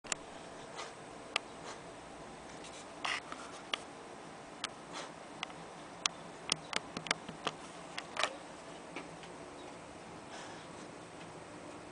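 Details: A quiet indoor room with a low steady hiss and scattered sharp clicks and ticks, with no animal sound.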